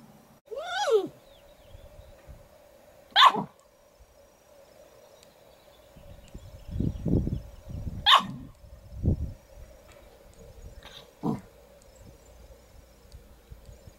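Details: Miniature poodles at home in June 2013, as a new black puppy joins an older apricot poodle: a high yelping squeal, then three short sharp barks spread over several seconds, with low rumbling handling noise and a steady background hum.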